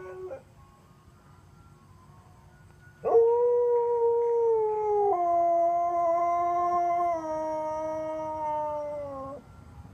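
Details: Sonny, a Siberian Husky, howling intermittently with an ice cream truck's tune in the neighbourhood; quiet for three seconds, then a loud, sustained howl lasting about six seconds, holding steady before sliding lower in two steps.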